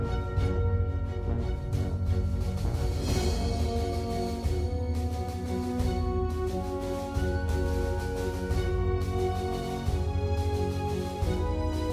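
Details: Dramatic theme music with deep drums and sustained chords plays throughout, with no animal sound audible.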